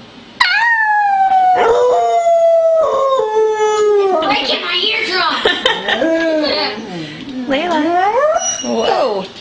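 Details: Female Beagle Layla, rescued via the SPCA, sings on request before an outing, spring 2009: a sharp onset into a long gliding howl that sinks gradually, then wavering, yodelling rises and dips as the voice breaks and wobbles.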